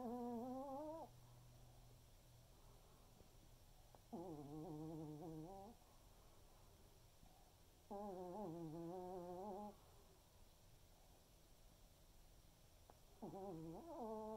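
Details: Senior Pomeranian Waldo asleep in an afternoon snooze, giving long, humming, whistle-tinged snores roughly every four seconds, each lasting over a second with a slightly wavering tone, separated by quiet breathing in a still indoor room.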